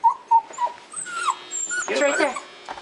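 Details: Toy Fox Terrier closing in on a mouse in a closet, uttering short high whimpers and a drawn whine, overlapped by excited human speech as the mouse is spotted.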